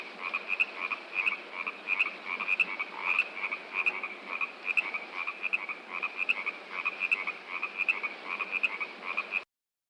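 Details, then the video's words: Frogs produce a dense run of short, repeated croaks, overlapping voices forming a rhythmic chorus over rushing water, ending abruptly in silence near the close. "Frogs And Rushing Water Sound Effect"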